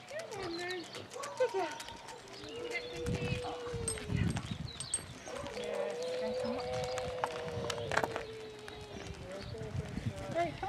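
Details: Long, steady howls from Basset Hounds walking as a group of 22 at Belwade Farm near Aboyne, Scotland, 2 October 2016; sustained level notes held for several seconds, several hounds overlapping, people chatting in the background.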